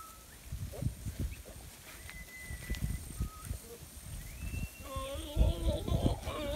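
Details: Goats returning from pasture: a wavering, nasal bleat with a quavering tremble late in the clip over heavy low rustling and trampling, with a few thin whistled notes, possibly birds, in the background.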